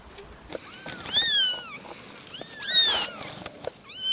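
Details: Kittens playing and running around with their mothers, meowing for attention; three clear, high, thin meows that rise then fall, spaced about 1.5 seconds apart, with light rustling and tapping between them.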